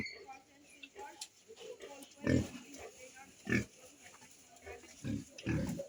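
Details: Pigs on a farm raising piglets in West Bengal: short, low grunts come in separate bursts near the middle and end, over faint background talk and a steady hiss.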